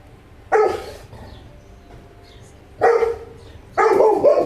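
Three loud, deep barks from a Saint Bernard, each a single heavy woof with a rough, full tone. Quiet gaps of one to two seconds separate them.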